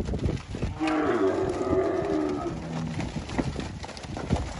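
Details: Angus cattle on a farm in Palmeira dos Índios, Alagoas, Brazil, giving a drawn-out, wavering moo over steady background noise.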